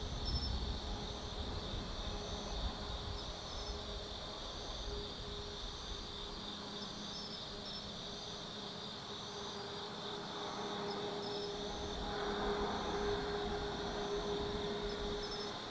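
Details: Autumn insects singing at night in the forest of Tsukimi no Mori, Kaizu, Gifu, Japan, beside a lookout 180 m above the lit Nobi Plain: steady shrill droning bands with repeated high pulsed trills, over low traffic rumble that swells late.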